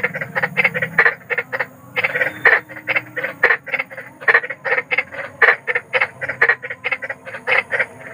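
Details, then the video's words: Big frog croaking at night in the wild, a fast regular train of rasping notes, about three per second, briefly overlapping a low murmur. "SUARA KODOK || KODOK BESAR || SUARA KODOK SERAM"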